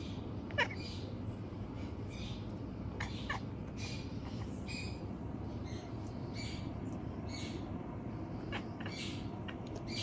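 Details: At night a male house cat mutters soft, clipped 'nya' sounds in quick bursts, one sharp click early on, then a steady stream of faint meows over a low humming background.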